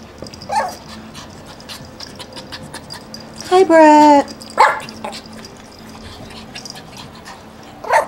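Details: Male puppy indoors at a breeder's in Akron, Ohio: a drawn-out, wavering whine lasting under a second, then a short sharp yip, while a person talks and coaxes the dogs nearby.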